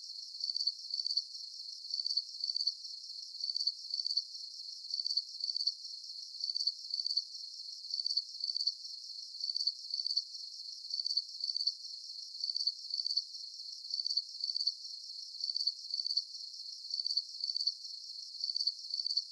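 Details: Night crickets under a full moon, giving bright, high-pitched pulsed chirps in regular bursts roughly every second, a dense, even chorus with nothing else heard.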